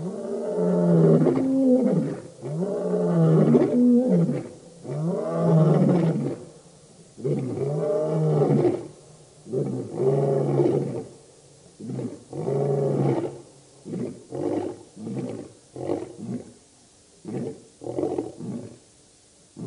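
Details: Roaring by the Birmingham Boys, a lion coalition at a dam in Djuma Game Reserve, Sabi Sand, Kruger Park, South Africa, August 2016: full drawn-out roars that give way to a series of shorter, quicker grunting roars, tapering off.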